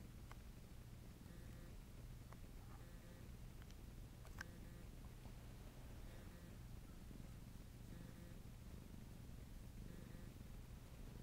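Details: Domestic cat purring while kneading; a steady low rumble runs unbroken through the whole stretch, with faint soft clicks and a person's voice asking for finger licks just afterward.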